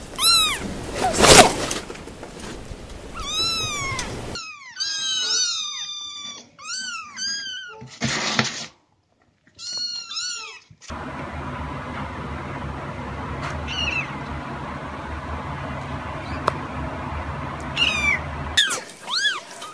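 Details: Cats and kittens meowing in short bursts separated by abrupt cuts, with thin high mews and a louder cry, interrupted by loud broadband noise and a stretch of steady rumbling.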